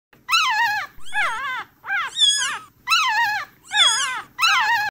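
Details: Newborn puppies crying: six high, squeaky whining cries, each rising then sliding down in pitch, about one every three-quarters of a second with short gaps, in a quiet room.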